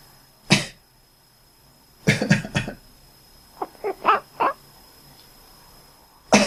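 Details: Resting house cat that answers coughing and sneezing. Several human coughs come first, then four brief, clipped quacking calls in quick succession, and another cough closes the sequence.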